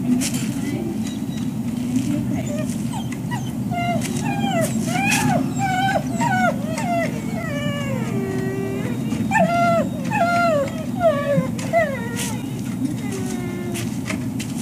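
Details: Waiting for breakfast at the Service Dog Project, Ipswich, Massachusetts, on 14 October 2017, dogs give a long series of short, wavering whines and yips that rise and dip in pitch, with brief clatter and a steady low hum behind.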